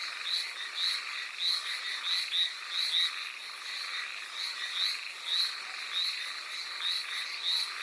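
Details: Rainy night chorus on Amami Oshima, Japan: Hallowell's tree frogs repeat short reedy croaks in uneven bursts, about one and a half per second, blending with other callers and the hiss of rain.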